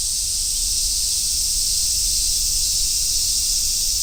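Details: Cicadas, including large brown cicada and robust cicada, calling along a summer forest road in Japan: a dense, unbroken high sizzling hiss at a steady volume, with a faint low rumble underneath.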